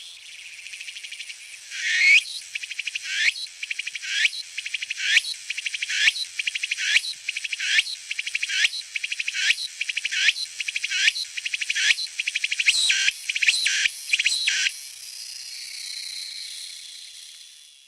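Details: Meimuna opalifera cicada singing: a loud, harsh buzzing pulsed into rhythmic phrases about every second, speeding into rapid repeated bursts before ending in a steady hiss-like buzz, with no other sounds.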